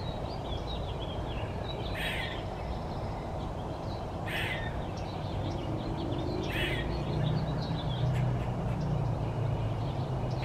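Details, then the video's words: Gray squirrel named Wilma, one-eyed and fat, screaming near a bird seed feeder: three rough, noisy cries spaced roughly every two seconds, with a constant low-pitched hum underneath. "Gray Squirrel eating Maple seeds and One eyed Wilma screaming"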